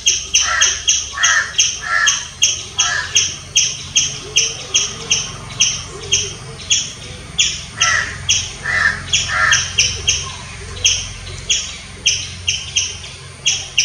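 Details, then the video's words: Rapid series of loud, piercing chirps from a squirrel, about three per second, broken at intervals by harsher, lower rasping bursts. "Squirrel chirping sounds. Loud squirrel noise."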